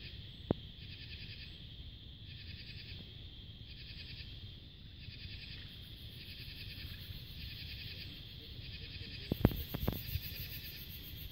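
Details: Cicadas, along with other bugs, give a steady high buzzing drone with pulsed buzzy bursts repeating about once a second, on a peaceful summer twilight under a crescent moon in July 2022.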